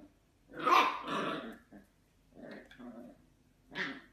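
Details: Dachshund letting out a harsh, raspy bark-growl pair, followed by a few softer grumbling bursts and one final sharp bark, all indoors with little other sound.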